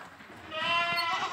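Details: Boer goat on an Indonesian farm, shown as livestock kept without cut grass: a single quavering bleat, harmonic and wavering, rising in loudness midway and holding for nearly a second.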